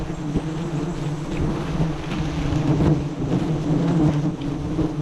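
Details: Giant honey bees at a wild forest nest, roughly 40 metres up, during a honey harvest by a bee-hunting team; a low, steady droning buzz continues throughout, mixed with rumbling wind and handling noise.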